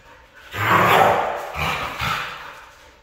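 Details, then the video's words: Red female Siberian husky letting out a loud, roaring, howl-like cry that swells and holds, followed by two shorter grumbling follow-up notes that trail away. "Red Female Siberian husky"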